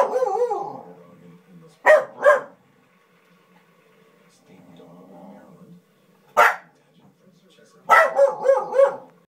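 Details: Corgis watching a dog show fuss at the dogs on screen with short yips, whines and sharp barks in uneven bursts.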